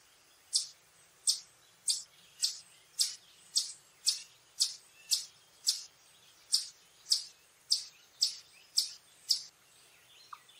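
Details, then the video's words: Warning call of an Eastern chipmunk, a long run of bright, high-pitched chip notes, close to two each second, about seventeen in all, evenly spaced with brief pauses, over a hushed backdrop. "Chipmunk call sounds, stuffing cheeks | Eastern"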